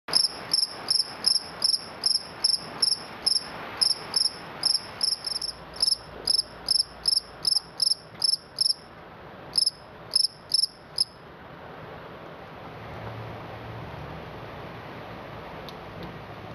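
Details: Cricket (Gryllidae) calling loudly inside a garage in the middle of the night; shrill, very high chirps repeated about two or three times a second for eleven seconds, then the chirping stops, leaving faint background hiss.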